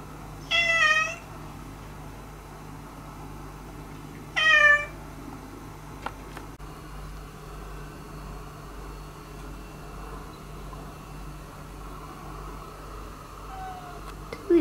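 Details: A former stray cat, indoors among resident cats she is trying to befriend, gives two clear, drawn-out meows about four seconds apart, then quiet room hum with faint small sounds.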